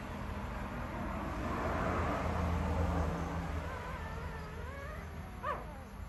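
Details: Puppies crying: thin, wavering high whimpers rise and fall in the second half, ending in one short sharp yelp, all over a steady low rumbling hum of background noise.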